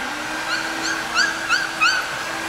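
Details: A seventeen-day-old puppy, newly placed in a dog café, gives five short, high, rising squeaks, about three a second, over a steady low hum.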